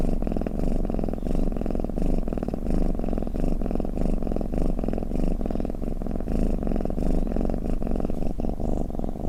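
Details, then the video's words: Snoring cat giving a continuous deep purring rumble, finely pulsed and low-pitched, swelling in soft breath cycles throughout, with only faint clicks above it. "เสียงแมวคราง เสียงกรนของแมว | snoring cat"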